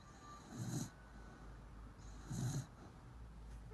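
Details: Sleeping Corgi snoring, recorded 30 March 2019: two low, rasping breaths about 1.8 seconds apart, each with a faint hiss above, over a steady low hum.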